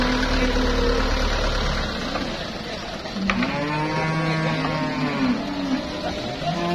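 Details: Cattle for Eid sacrifice at a busy livestock market where buyers from Jabotabek, Semarang, Wonosobo and Magelang shop: low, drawn-out moos with rich harmonics, several overlapping in the second half, over a steady low rumble and background chatter.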